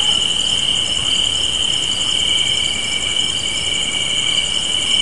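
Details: A spring evening chorus of crickets by a porch, unbroken high-pitched trilling with a faster pulsing shimmer layered on top, steady in loudness throughout.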